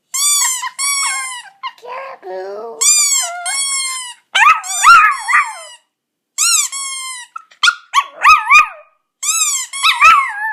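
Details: Poco, a pet Chihuahua, howls in response to a squeaky toy, August 2014: bright, harmonic toy squeaks alternate with lower wavering, sliding howls, and squeak and howl bursts repeat with short silent gaps.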